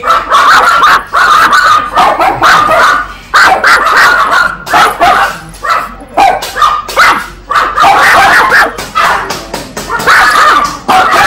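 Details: Little puppy giving loud, sharp, high-pitched barks in quick irregular runs, some softer whimper-like yips between bursts.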